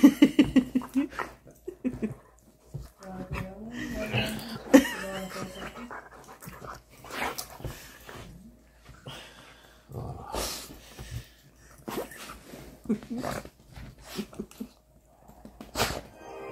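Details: Miko, a Siberian Husky, roughhousing with one of his brothers inside the house; a busy run of mixed growls, whines and yelps with scuffling noises and a woman talking over them.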